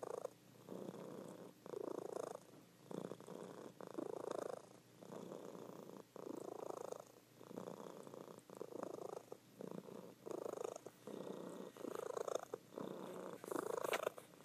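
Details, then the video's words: Female pet cat asleep and purring loudly at home; regular rumbling purr in breath-length bursts separated by short pauses, steady throughout with no other noise. "Sleeping Cat Purring"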